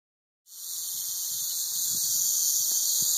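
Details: Southern Pacific rattlesnake (Crotalus helleri) rattling: after half a second of silence a steady, dry, high-pitched buzzing hiss starts abruptly and continues unbroken, growing slightly louder to the end.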